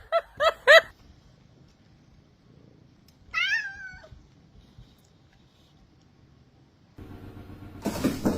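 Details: Pet cat in a funny cat compilation gives three quick, short meows in a row, then, after a pause, a single higher wavering cry; a noisy rustle follows at the end.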